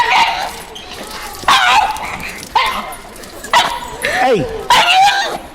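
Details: Two dogs in a pet store bark sharply about once every second, with one long descending whine-like yelp near the end, amid a busy indoor background and a person talking to them.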